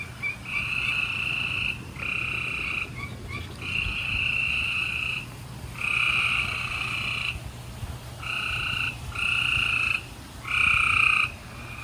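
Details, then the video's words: Gray treefrogs trilling at night in Houston, Texas, April 28, 2020: distinct buzzy trills of about one second each come in a steady series with brief pauses. A faint low hum sits underneath. "Gray Tree Frogs Chorus"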